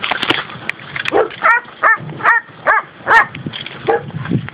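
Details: Dogs, Labrador and schnauzer mixes from a rural spot in Valencia province, Spain, bark in a quick run of sharp, harmonic yaps roughly every half second, with a scrap of Spanish speech at the start.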